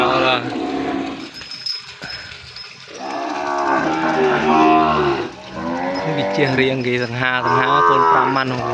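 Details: Calves crying for their mothers after being split off into a separate pen on a Cambodian cattle farm; overlapping drawn-out harmonic moos from several calves, rising and wavering, filling the barn, with a man's voice in the background.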